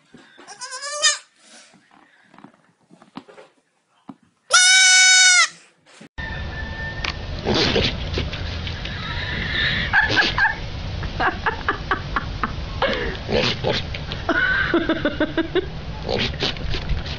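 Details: Goats screaming in a human-like way: a few wavering, strongly harmonic screams open the recording, including one long, overloaded cry around four seconds in, followed by music with occasional bleats over it.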